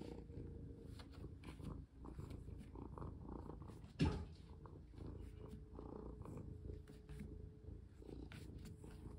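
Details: A pet cat purring indoors while being played with; a continuous low, rumbling purr throughout, with a sudden thump near the middle and faint handling noises.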